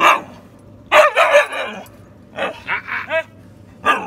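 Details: Female Siberian Husky talking back after being told to be quiet: short harmonic moaning and yodel-like bursts, some wavering, in three or four separate groups with quiet gaps between.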